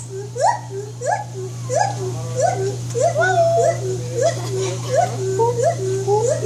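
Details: White-handed gibbon giving a steady series of clear, rising whooping notes, roughly one every 0.7 seconds, over a constant low mechanical hum.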